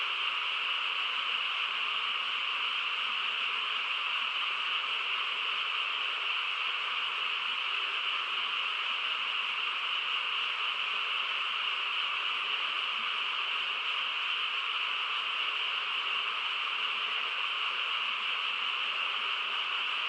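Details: Countless frogs calling at once in the still countryside after dark, producing a seamless, buzzing wash of sound that stays level and unbroken, pitched high with a strong mid-range layer beneath.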